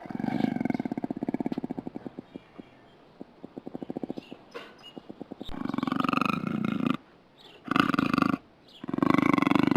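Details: Puma making a rapid, rattling pulsed purr that slows and fades. Louder, buzzy growling bouts follow, roughly one per second, with brief silences between them.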